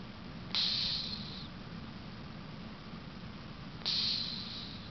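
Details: Cleo, an 18-year-old female cat, snoring while asleep: two short, hissy, whistling breaths about three seconds apart, each sharp at the start and then fading, over a faint steady low rumble.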